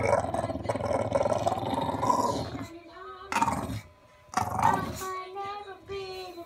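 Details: Bailey, an unhappy bulldog, gives a long, harsh growl for nearly three seconds, then shorter rough bursts and steady tonal whining sounds, while a person speaks to him nearby.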